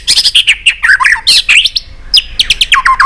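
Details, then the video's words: White-rumped shama song for stimulating pet shamas: dense, rapid jumble of high whistles and chirps, then quick downward-slurred sharp notes. "Chòe lửa tạch liên tục.dùng Kích Chòe Lửa yếu lửa,kích bổi nhanh lên lửa hiệu quả,chòe lửa đập đuôi"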